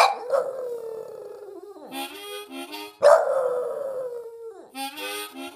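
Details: A dog howling along with harmonica playing: long sliding howls falling from high to lower pitch, interleaved with wheezy harmonica chords; the dog rarely makes any other sound.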